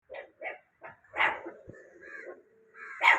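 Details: Two puppies standing guard at home, barking to stop anyone walking past: a string of short, sharp yaps, then a drawn-out whine-like bark and a final louder bark.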